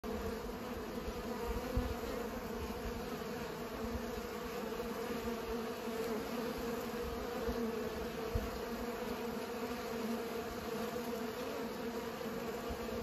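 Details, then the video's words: Bees pollinating, filling the air with a steady, dense drone of overlapping wingbeats, a low hum with an even overtone above it, holding constant throughout with no pauses. "Bees pollinate"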